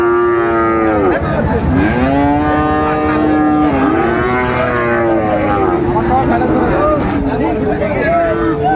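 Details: Friesian and crossbred bulls and calves at Raniganj cattle market, Dinajpur, on 26 July 2024: loud drawn-out moos with rich harmonic stacks, several overlapping callers rising and falling over a dense hubbub of crowd chatter.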